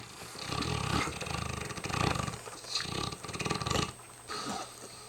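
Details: A very tired mastiff snoring loudly, with deep rumbling snores in rhythmic bursts about once a second, each a broad low growl-like rasp separated by short quiet breaths.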